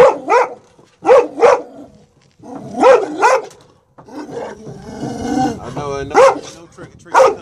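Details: Adult male Presa Canario giving a protective display in Atlanta, Georgia, on 18 January 2014, filmed after a reunion with his two-year-old son; deep, rough barks come in quick pairs separated by short silences, with a harsher, noisier stretch midway.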